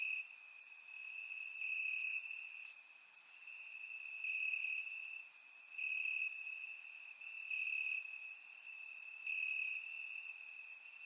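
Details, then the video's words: Crickets singing in grass through a warm Bulgarian summer night, surround-microphone recording; a high continuous trill throbbing in regular surges, layered with many faint, fast chirps from a wider insect chorus. "Cricket Sounds - Crickets Chirping at Night"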